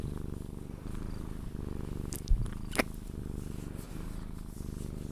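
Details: Cuddled Sphynx cat purring until it falls asleep: a continuous low, rhythmic rumble with short bright clicks and a soft knock midway.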